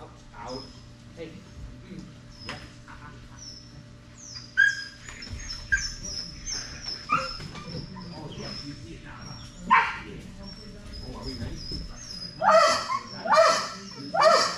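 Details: Strider, a Belgian Malinois, during Fetch-It (Air Retrieve) dock diving practice on 10.25.22; scattered sharp barks build into three loud, rough bursts near the end, with people talking and thin high whistling tones in the background.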